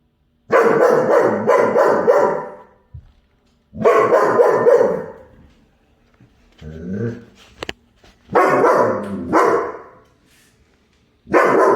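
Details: German Shepherd barking while chasing a squirrel: volleys of rapid, harsh barks in quick succession, four bursts separated by brief pauses, with a short rustling interlude in the middle.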